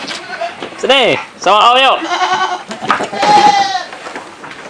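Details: Large black tall male goat kept for farm breeding; two loud quavering bleats in quick succession, falling then rising in pitch, followed by weaker wavering calls and background voices.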